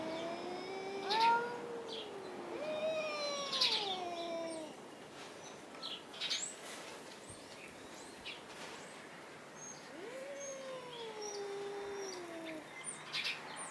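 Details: In a dim hay barn, two domestic cats named Tux and Schrödinger trade caterwauls instead of fighting: bending, arching yowls in two bursts separated by a quiet stretch with faint clicks.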